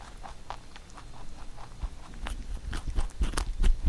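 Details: Huchu the pet rabbit munching a carrot songpyeon for Chuseok; soft quick nibbling clicks that grow louder toward the end, with heavier crunches and low bumps.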